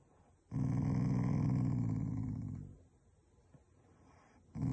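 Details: A family Shiba Inu, not angry, growls as its own way of showing affection: one low, rough, sustained rumble lasting a little over two seconds, fading out, then a fresh growl starting after a quiet gap.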